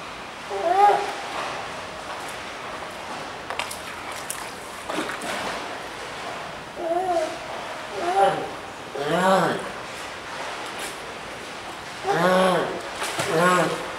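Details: A spotted seal pup that cannot climb onto the shore to reach its mother beside it gives wavering, nasal cries, repeated every second or two over splashing water.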